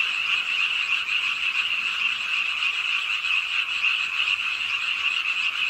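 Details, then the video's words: Many frogs croaking at a pond edge in Suwon's Ingye Art Park, South Korea, late on a rainy night; a dense, unbroken high-pitched trilling chorus with steady hiss throughout. "비오는 밤 개구리소리"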